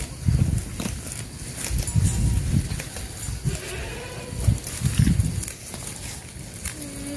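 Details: Sheep being herded on a farm give low, rough bleats in short bursts. The bursts come about every second and a half, over a steady rumble of handling noise and wind.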